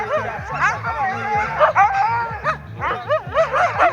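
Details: Siberian Huskies at the start and finish of the 2023 'Faster than the Wind' event in Ivanovo: repeated high, bent yelping barks and yips in bursts, over a steady looping music beat with applause.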